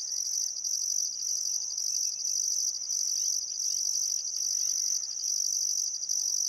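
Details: Crickets on a calm summer afternoon at sunset, Barcoo River, Welford National Park, Outback Queensland: a near-continuous high, shrill trill broken by brief gaps, with faint bird chirps and whistles in the background.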